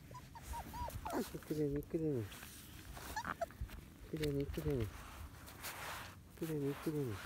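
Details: Field-type Labrador Retriever puppies, 31 days old, running on grass outdoors: paired, falling, whining yelps repeated about every two and a half seconds, over steady background noise and faint voices.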